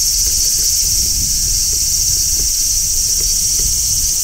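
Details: Midsummer song of a large brown cicada: an unbroken high sizzling drone of even loudness throughout, with soft low-pitched ticking and background rumble.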